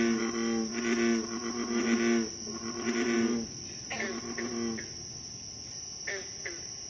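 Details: American bullfrogs at night on July 28, 2013, in Moore's Swamp, Concord, Massachusetts: deep, rich, harmonic croaks in long overlapping bursts, then shorter spaced notes, over a steady high insect drone.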